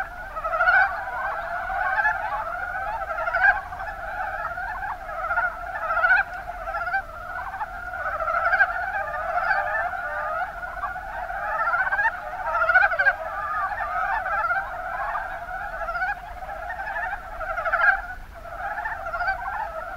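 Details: Chorus of Mountain brown frogs (Rana ornativentris) recorded in Kumamoto's Kuma basin, Japan: numerous callers overlap in a rolling, clucking croak mass, individual notes pulsing out roughly every one to two seconds.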